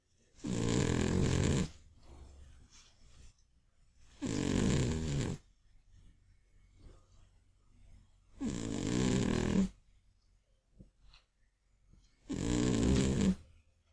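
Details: An old, chubby Scottish Fold cat snores loudly while sleeping after a day of eating. Rough, rasping breaths repeat about every four seconds.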